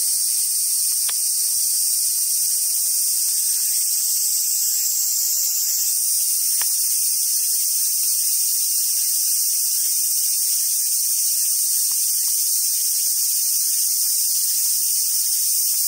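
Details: Summer cicadas droning at Awaji Island Monkey Center, Sumoto, Hyogo, Japan; an intense sizzling chorus runs throughout, changing tone around six seconds, with brief low rustling and a couple of sharp clicks early on.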